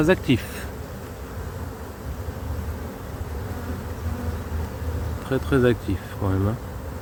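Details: Honey bee colony suspected of drone laying after failed first matings on splits, during a cold spell in 2024: a low, steady droning hum runs throughout, with brief French speech at the start and near the end.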